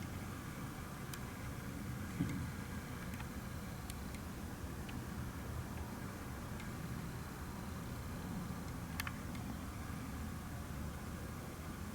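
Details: Steady low rumble like an engine or fan fills the recording, with only a few faint scattered clicks and no clear animal voice.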